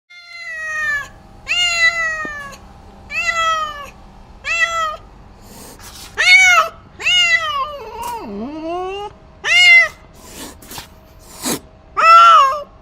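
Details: Angry domestic cat giving loud, drawn-out harmonic meows, each wailing call rising then falling, repeated about every second or two, with one lower, wavering growl-like moan midway and a few sharp clicks between calls.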